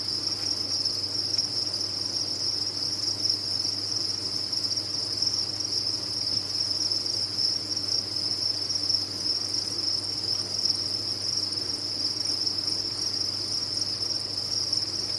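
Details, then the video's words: Many farmed crickets calling at once, producing an unbroken, even, high trilling wall of sound with no pauses, over a soft low electrical-sounding hum. "Sound of a Cricket Farm"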